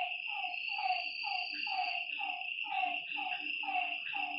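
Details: Short burst of a nocturnal lakeside frog chorus: paired, downward-sweeping notes repeating quickly, backed by a bright, unbroken insect trill and a faint low hum.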